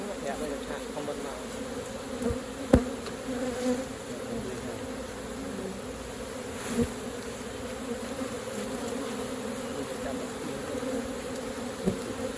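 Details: Honey bees at an opened hive during raw honey collecting; a steady, low, droning buzz holds throughout, with a few sharp clicks and knocks from handling the hive.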